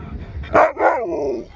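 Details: Sherpa, a husky, waking very happy and shocked after sleeping through a car journey to a surprise: a short loud yelp, then a drawn-out wavering woo that slides down in pitch over about a second, over low engine rumble.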